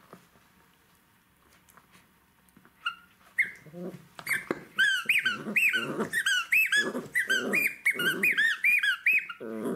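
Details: Jack Russell Terrier puppy playing with toys indoors: a quiet start, then from about four seconds dense bursts of high, arching squeaks over rough low growling, coming in quick irregular runs.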